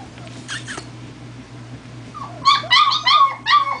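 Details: German Shepherd puppies at four weeks, out on a first walk, produce a run of loud, rising-then-falling whining yelps in the second half, after a quiet stretch with a low electrical hum.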